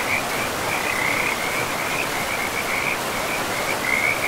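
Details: Frogs trill in a steady, high chorus over the constant rush of a river flowing through a pristine, moss-covered forest.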